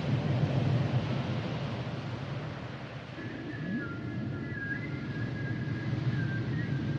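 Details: Humpback whale song: after a low rumbling opening, a run of thin, high tonal whines and whistles, some level and some gently bending, strung across the second half over a steady underwater hiss.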